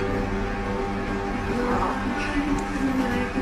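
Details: Music with a low hum and a faint voice underneath, and no animal call.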